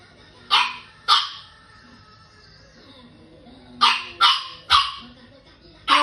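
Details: Small French Bulldog named Elton barking along to a Minions song: two sharp, high barks about half a second apart, a pause of nearly three seconds, then a quick burst of three more and a final one near the end.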